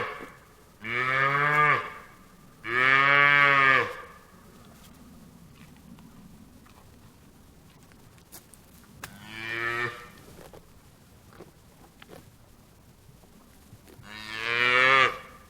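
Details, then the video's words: Cattle mooing: four loud, harmonic, drawn-out moos about a second long each, two close together at the start, then one near the tenth second and one at the end, with quiet gaps between. "SOM DA VACA MUGINDO"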